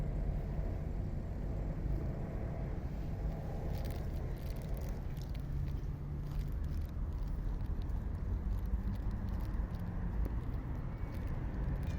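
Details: Low street traffic rumble with passing vehicles and light clatter dominates, and no animal voice stands out.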